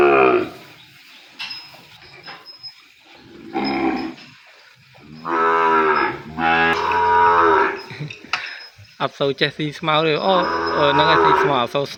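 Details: Calf separated from its mother and kept away from her, crying for her in a pen: several loud, drawn-out, harmonic bawls in the second half, after quieter grunts and clicks, with a person's voice faintly nearby.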